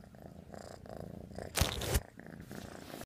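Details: Kneading black kitten on a pillow indoors, a low pulsing purr underneath, interrupted midway by a loud brief rustling burst of fabric.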